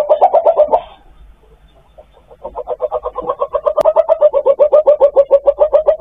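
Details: Civet calling for a mate, a sound used as a hunting lure: a rapid, steady series of short nasal pulses, about four to five per second, after a brief opening burst and a quiet gap.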